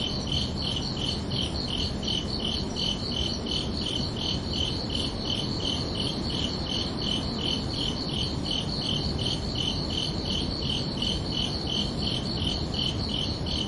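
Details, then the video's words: Crickets chirping under a night sky: a steady run of high, evenly spaced pulsed chirps carries through the whole stretch over a constant low rumble of background noise. "Calming Cricket Sounds for Relaxation"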